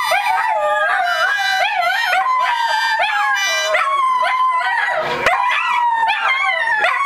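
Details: Several Dachshunds howl together in long, wavering, overlapping tones that rise and fall.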